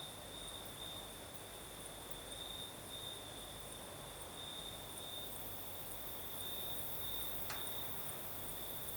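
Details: On a breezy night in the south of Crimea, crickets sing a continuous high-pitched trill that brightens in irregular bursts. A faint higher ringing lies above it, steady wind noise runs underneath, and one brief sharp click comes near the end.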